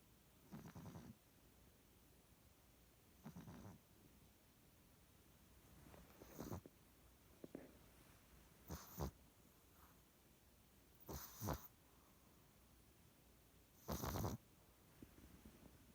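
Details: Sleeping pug snoring softly: short, breathy, rasping snores at irregular intervals of roughly two to three seconds, some fainter than others, over a quiet steady background hiss.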